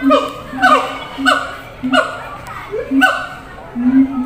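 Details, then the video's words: Zoo siamang shouting to others kept in a far-off cage: about five spaced bursts, each a low boom joined by a short upward-sweeping whoop, with quieter gaps between. "gibbons sound MP3 real"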